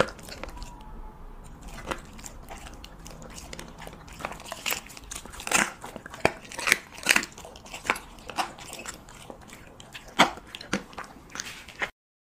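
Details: A Siberian Husky chewing cheese meat: dense bursts of crisp crunching and crinkly bite clicks that grow busier and louder midway, then stop abruptly into silence near the end.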